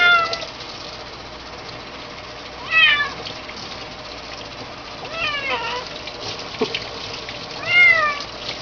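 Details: Three short rising-then-falling meows from a kitten during a bath, spaced a few seconds apart, with a constant background of tap water and a faint click.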